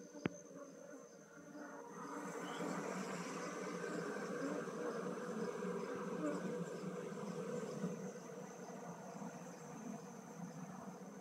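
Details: Honey bee colony transferred from a log hive to a modern box hive; a loud, continuous swarm drone rising after a sharp knock, thick low buzzing with a faint high tone throughout.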